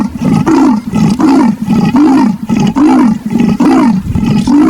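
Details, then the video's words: Leopard rasping steadily, short gruff strokes with a slight upward bend repeated a little over once per second, loud and close throughout. "the sound of leopards"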